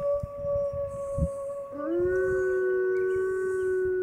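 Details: Wolves at the Toronto Zoo's Canadian Pavilion near closing time, calling in a serenade: long steady howls near one pitch, then a second voice enters with a sliding rise and holds a level tone, some low rumble underneath.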